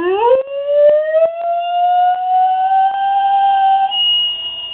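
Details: Riley, a pet dog, howls along with church bells that ring every day at the same time from a church down the street; one long tone that rises smoothly and then holds steady with strong overtones.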